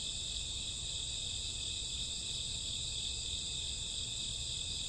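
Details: Many crickets chirp through a summer or autumn night, their high, steady trilling forming layered bands without pause, over a quiet low background.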